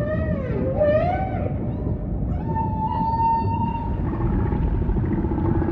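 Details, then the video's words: Humpback whale song with ocean ambience, opening on a bending, downward-curving moan with rich overtones, followed after a short gap by a long, steady mid-pitched tone over constant low underwater rumble. "Majestic Whale Song · beautiful humpback & ocean ambience"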